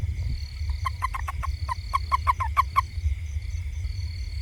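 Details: A toad in a garden around a house calls with a brisk series of short, hollow, clucking notes, about ten in two seconds, over a steady high insect hum and low rumbling background noise.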